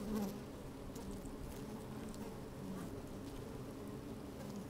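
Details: Busy honey bees moving about inside an open hive on a sunny, slightly windy day, recorded from within the hive: continuous low buzzing drone with layered humming tones, soft crawling rustles and faint ticking.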